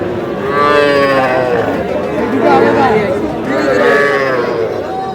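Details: At a Madaripur cattle market where small bull and heifer calves are sold, three drawn-out, harmonic moos come about a second apart, over steady crowd chatter and nearby voices.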